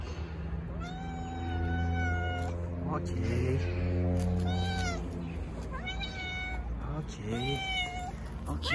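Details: Stray cats gathering around a petted tuxedo cat in an Istanbul park, meowing repeatedly in drawn-out, slightly rising and falling cries, several voices overlapping, with a woman's soft cooing speech and low steady background hum.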